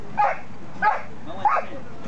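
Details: Mayly, a female Border Collie, performing pirouettes on the open yard at Tigre station. Three short, sharp barks land about every 0.6 seconds, each with a brief tonal ring, over a faint background murmur.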